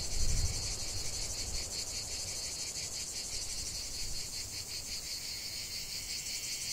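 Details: Chorus of cicadas in the heart of a lavender field, a steady high-pitched rasping drone with regular pulsing, a brief low thump at the start and faint low background rumble.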